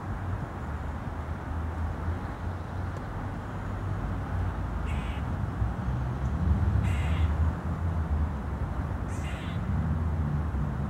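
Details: Grey squirrel in a tree in Pearson Park gives three brief, scratchy chuck-like calls spaced about two seconds apart, over a constant deep hum and rumble.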